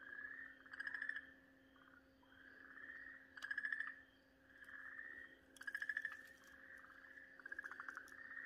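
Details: Okinawa green tree frog screaming in distress while being swallowed by a garasuhibaa snake, recorded 4 March 2023; a steady nasal tone swells into pulsed, buzzy cries roughly every two and a half seconds, over a low constant hum.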